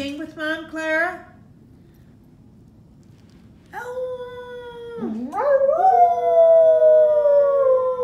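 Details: An English Springer Spaniel singing along with its owner: a brief pulsing burst at the start, a quiet gap, then a sustained falling howl, a quick dipping yelp, and a long loud howl that slowly slides downward.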